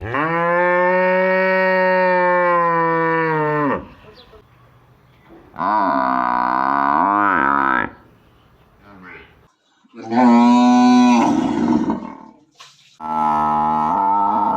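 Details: Village cow or buffalo calling; long loud harmonic moos of about four seconds each, steady then falling at the end, four calls separated by short quiet gaps, one rising and rougher.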